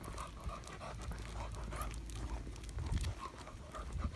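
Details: Irish Setter named Sheyenne walking to the park for the first time, 23 June 2022, stumbling and excited; quick repeated panting puffs against heavy low-frequency wind or handling noise.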